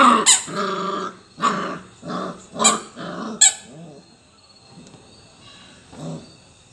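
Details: Labrador Retriever puppy playing with toys, giving a series of short harmonic barks and yips in the first four seconds, then fainter whines and a soft yelp near the end, with small clicks from the toys.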